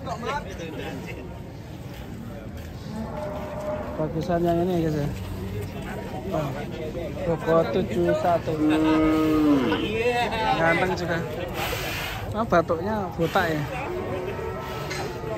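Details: Cattle being loaded onto a truck that tipped over during loading; several deep, drawn-out harmonic moos overlap and waver through the middle of the recording, with people talking and chattering in the background.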